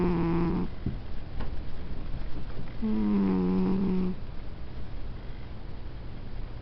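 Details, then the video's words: Pet cat snoring in its sleep, giving two low humming snore breaths, a short one at the start and a longer one mid-way, then only faint breathing and room hush. "Snoring cat"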